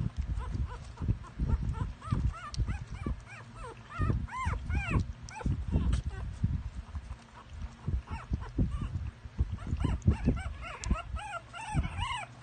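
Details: Jack Russell Terrier puppies giving high, arched whimpering yelps in quick bursts, clustered from about two to six seconds and again near ten to twelve seconds, over low thumping handling noise and a human voice.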